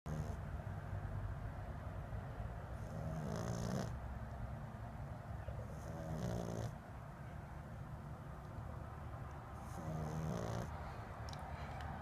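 A Boston Terrier puppy snores in slow, rasping breaths about every three seconds.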